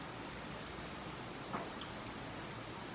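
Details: Steady broadband hiss like rain or wind noise with a single faint click; no animal voice.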